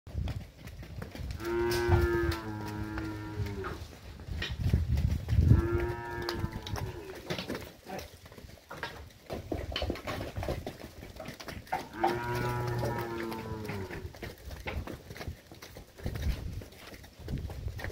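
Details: Girolando heifers and young heifers, fourteen animals aged 14 to 20 months, near Fernandópolis, São Paulo, Brazil, give long harmonic moos about two seconds each, three calls spaced several seconds apart over steady wind-like rumbling noise.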